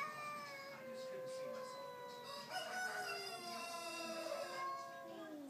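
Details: Neighbourhood cats fighting outside a front door: long, sustained, wavering yowls overlap for the whole stretch, drawn-out tones with bright harmonics that rise and fall slowly, while roosters crow in the background.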